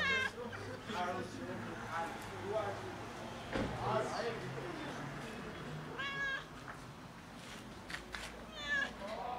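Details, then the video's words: Fluffy domestic cat meowing loudly to ask for food: three drawn-out, harmonic meows near the start, middle and end, each wavering in pitch, with a person speaking quietly between them and some low background hum. "Loudly Meowing Fluffy Cat Asks for Food"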